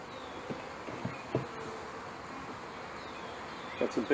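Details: Honey bees from a package being installed into a hive in May 2013. A steady, rough buzz from many bees, with a few short louder bursts near the start and again near the end.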